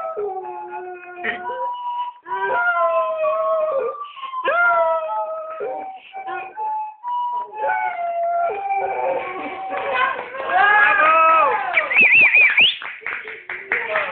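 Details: Dog howling along to Beethoven's 9th Symphony played on a recorder. Steady recorder notes carry the melody while a wavering, rising howl joins in and grows louder and higher toward the end.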